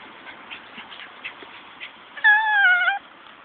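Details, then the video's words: Morkie puppy, a Maltese and Yorkie cross, gives a short clear whining cry lasting under a second near the end, after a stretch of faint soft squeaks; otherwise quiet. "Cute Morkie Puppies"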